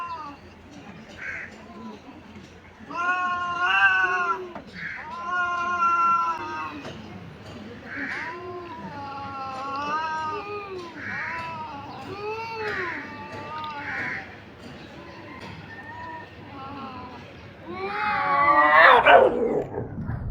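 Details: Two fighting domestic cats on a tin roof at noon, phone recording; drawn-out wavering growl-yowls in a steady series of rising and falling wails, with a harsh burst of noise near the end.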